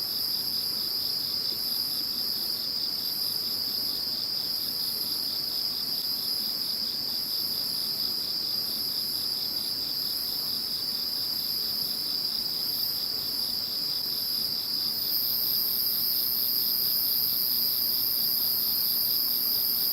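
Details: Insect voices heard once Typhoon No. 21 had passed: an unbroken high trilling chorus with a steady piercing band and rhythmic pulses, while an even higher constant tone grows stronger in the final seconds.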